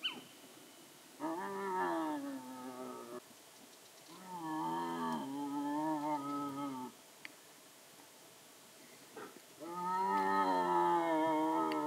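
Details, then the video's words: A young striped hyena wandering after sunset at dusk gives calls that seem aimed at its mother. There are three long, drawn-out moaning wails of about two seconds each. They are tonal and rich in harmonics, with a slight waver, and separated by quiet pauses. "Striped hyena calling צבוע מפוספס קורא धारीदार लकड़बग्घा ضبع مخطط linh cẩu sọc シマハイエナ"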